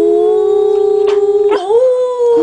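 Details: Samoyed howling along as people sing Happy Birthday: a sustained, wavering tonal howl holding one pitch, then dipping and sliding upward near the midpoint before settling again, with singing voices around it.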